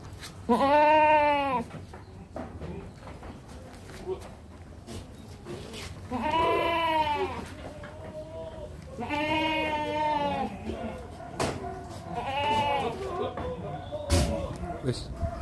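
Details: Male goat kept for Qurban sacrifice, 80 cm tall at the shoulder, giving four loud, wavering, nasal bleats about three seconds apart, each roughly half a second to a second long, with soft clicks and knocks between them.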